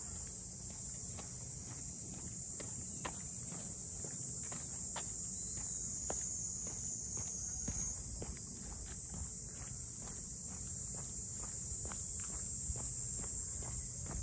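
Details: Cicadas calling in Ine no Funaya, the traditional boathouse port townscape north of Kyoto, during a walk. A steady, hissing high drone runs unbroken throughout, with regular footsteps crunching underneath.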